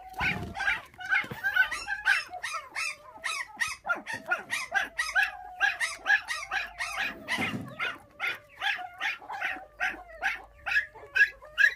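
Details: Puppies from a litter of five, orphaned at six days old after thieves took their mother and now raised on bottled milk, yelp in rapid, rhythmic bursts, more than two cries a second, high and piercing throughout.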